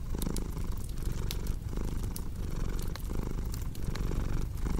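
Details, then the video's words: Cat's deep rhythmic purring close up, each inhale-exhale pulse lasting roughly 0.7 seconds, with sharp wood-fire crackles sprinkled over the steady rumble. "Purring Cat with Cozy Crackling Fireplace Sound"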